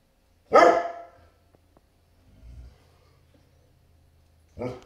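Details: Great Pyrenees barking at a delivery truck pulling up next door: a single deep, powerful bark, a faint low rumble, then another loud bark about four seconds later.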